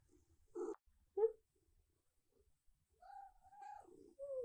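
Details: Female silver tabby cat at dawn asking for breakfast and gentle petting: short tonal chirps, then a longer level meow with clear harmonics and a final rising note, separated by quiet gaps.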